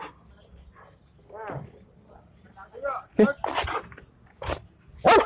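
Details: Rambho, a Belgian Malinois, practising disaster-victim search with breath scent samples, 19 April 2020: a person talks at first, then four loud abrupt barks come at uneven gaps over the last two seconds.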